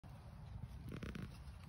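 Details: A raccoon caught in a trap growls at the person nearby, a low rumbling growl with a brief harsher burst near the middle.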